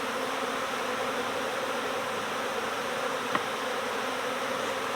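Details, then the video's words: Honeybee swarm at swarm season in suburban setting, a dense steady hum of many bees buzzing together, broad and unbroken throughout with one brief click midway. "My Bees Swarmed! Next Door Honeybee Recovery"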